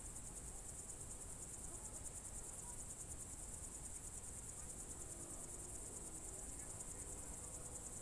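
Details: Crickets on a June 2023 evening at the Novye Buregi tract, Novgorod Oblast, Russia: a steady, high, finely pulsed shimmer runs without a break over a low rumble of background noise.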